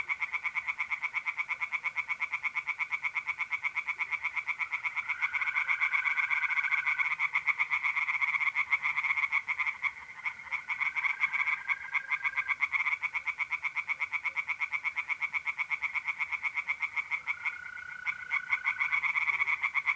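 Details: Dense night chorus of tree frogs in an Italian pond in April, continuous fast pulsing croaks from many frogs, with the smooth, sustained trills of mole crickets rising and fading throughout.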